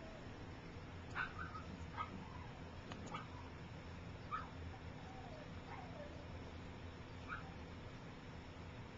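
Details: Three-week-old puppies from Gypsy's litter, learning to walk while littermates sleep, give faint short yips and a drawn-out descending whine, scattered every second or two over a steady low hum of room noise.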